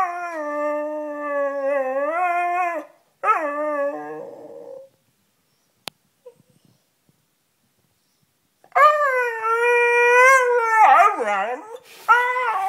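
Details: Beagle indoors howling to be let up onto the bed. A wavering howl lasts about three seconds, followed by a shorter one trailing into a whine. After four seconds of silence comes a loud, rising and falling howl with yips mixed in.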